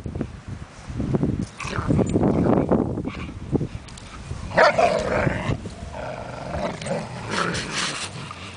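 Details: German Shepherds in a tug of war over a leash, rumbling growls rising and falling, broken by a few short, sharper yips and barks, with a person talking nearby.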